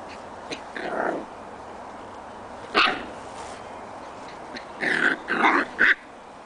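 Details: Six-week-old Scottish Terrier puppies playing outdoors in their pen: scattered short, sharp yips and barks, one near the start, one mid-way and a quick cluster of three near the end, over steady background noise.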